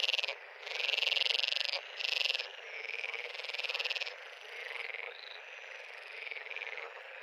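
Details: Frog pond chorus: several loud, harsh pulsed trills burst out near the start, then fade into a quieter ongoing mesh of overlapping buzzy frog calls.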